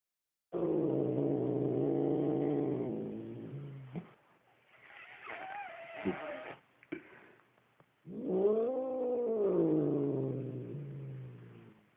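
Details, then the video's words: Upset domestic cat growling at its owner indoors: a long low rumbling growl, then after brief quiet a rising-falling harmonic wail that swells and fades; a man's voice is faint between. "Evil Cat Growling"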